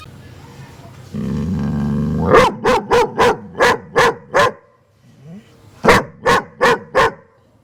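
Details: German Shepherd dog giving a run of six evenly spaced, sharp barks after a low rumbling noise, then a short pause and four more barks.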